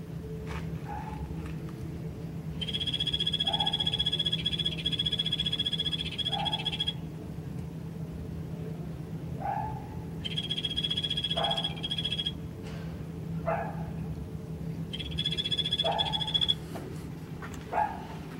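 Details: Golfodulcean poison frog in captivity at Poznań's Old Zoo, newly opened cold-blooded animals pavilion: three high, rapid pulsed trills of two to four seconds, separated by short lower chirps, against a steady humming background.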